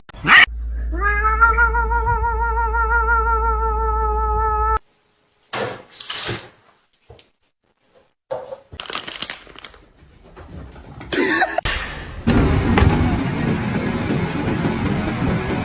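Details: Female house cat indoors giving one long, drawn-out meow of about four seconds with a wavering, slightly trembling pitch. People then talk briefly, followed by rustling, handling noises and laughter.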